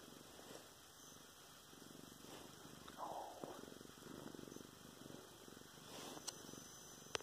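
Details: Domestic cat purring while being petted on the stomach indoors, filmed November 10, 2016; a soft, steady low rumble continues throughout, with a faint rustle and a couple of sharp clicks near the end.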